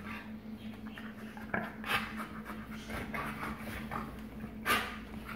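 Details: Two wolfdogs, a black-phased father (44% wolf) and his son (56% wolf), growl-play as the father asserts dominance, with rough low growls, sharp snapping bursts and panting breaths.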